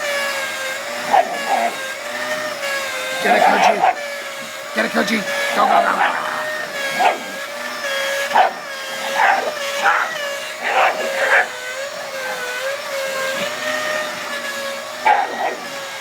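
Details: Koji, a Japanese Shiba Inu, dances with a running vacuum cleaner indoors. He gives short, sharp yips and barks in scattered bursts over the machine's steady whining drone.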